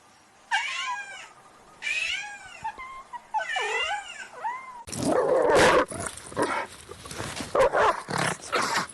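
A cat gives three drawn-out meows that rise and fall, each about a second long. A harsh, noisy burst of a different sound follows.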